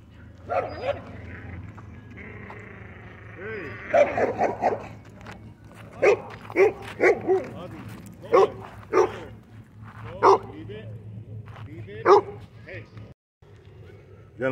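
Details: Pit bull mix with rare coat colors visiting a dog park, giving a series of short loud barks, spaced one to two seconds apart, with people talking and faint background hum.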